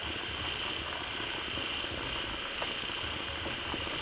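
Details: A crowd of frogs calling loudly after gathering fast in a pond as water from a waterfall starts flowing in. Dense, unbroken chorus with a steady, high, buzzy drone and rapid rough pulsing beneath, over a wash of running water.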